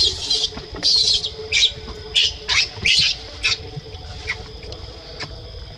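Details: Monkeys Libby and baby Leo: sharp, high squealing cries come in a run of about seven bursts, each under half a second, then fade to softer scattered squeaks, with a faint low hum underneath.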